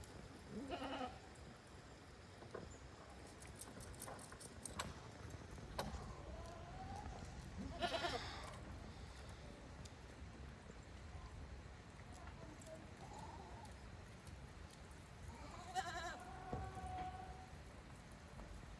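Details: Goats on a handmade goat farm heading back to their pens on their own, 5 December 2023; several harmonic bleats, some quavering, rise over a soft noisy background around the start, middle and end, with scattered clicks and knocks.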